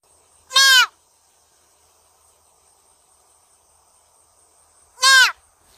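A roe deer gives two short, hoarse, falling calls about four seconds apart.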